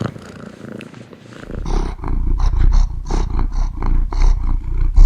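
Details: Cat purring very close and loud, a deep throbbing rumble that starts faint, then strengthens after two seconds into pulsing surges about every half second.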